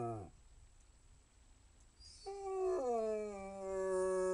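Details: Basset Hound howl beginning after a quiet stretch, starting higher then sliding down to a steady held tone, with the tail of an earlier howl at the start.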